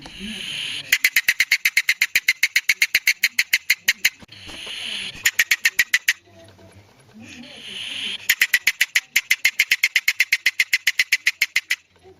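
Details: Wild polecat clicking in quick rattling series, three long bursts of sharp ticks at roughly four per second, with hoarse hissing breaths in the pauses.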